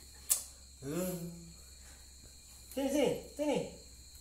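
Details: Mother cat near a helmet with something inside: one drawn-out falling meow, then two short arched meows close together, over a hissy, humming room background.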